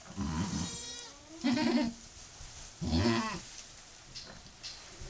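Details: Domestic goat in labour with her second kid, just after the first was born, gives short nasal bleats, three strong ones about a second and a half apart, then fainter murmurs and straw rustling.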